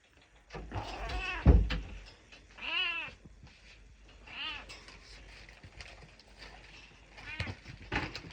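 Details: Domestic cat clamouring for a churu treat, giving a series of drawn-out meows with wavering harmonics, about four cries spaced a second or two apart, after an early knock or thump.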